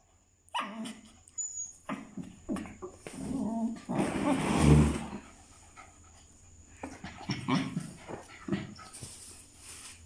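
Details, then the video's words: A puppy playing with its father, another dog: short yips, whines and rough play growls in irregular bursts, with a louder scuffling tussle in the middle and scattered shorter yelps. "Puppy play with dog father"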